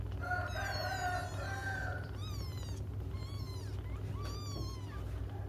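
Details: Kittens crying for their absent mother, opening with a long, strained, wavering wail, then short curved mews repeated every second or so, all set against a steady low droning hum.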